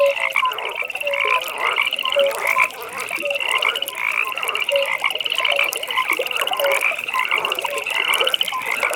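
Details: Evening pond chorus of frogs. Dense high trills pulse almost without pause, overlaid by brief lower croaks and chirps from several individuals, giving a busy, layered wall of calling.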